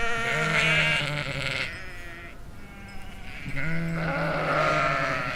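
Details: In a field in the Chiltern Hills in summer 2025, sheep bleat in wavering, nasal baas: two long calls separated by a brief pause.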